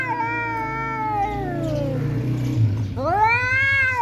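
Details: Angry house cat threatening a tomcat that came into the home: a long moaning yowl sinking gradually in pitch, then a fresh howl sweeping upward and holding, with a steady low hum in the background.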